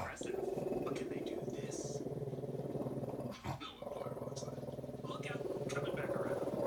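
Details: A female dog barks at an owl on television while wagging her tail, giving low, rough growling barks in a steady run over continuous TV sound with voices in the background.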